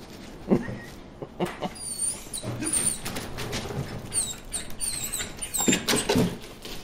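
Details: Bruce the dog barking at fish in a water hole; a few short, sharp barks near the start and again near the end, with high thin bird chirps and rustling in between.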